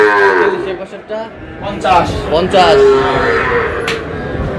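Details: Bull calves collected by a farmer from Narsingdi on 6 July. Drawn-out moos waver and slide in pitch, with a couple of short rising-falling bawls in the middle and a quiet murmur behind.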